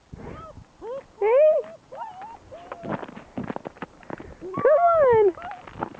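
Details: German Shepherd puppies, six weeks old, outdoors on rain-slick ground while being coaxed; drawn-out arched whines rise then fall, two loud ones standing out, between stretches of human voices calling them.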